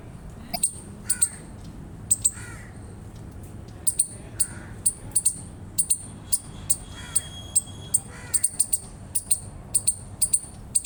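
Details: Eastern chipmunk chirping in bright, high chips, often paired and at a quickening pace, with a few faint, lower, hoarse calls from another animal in the background.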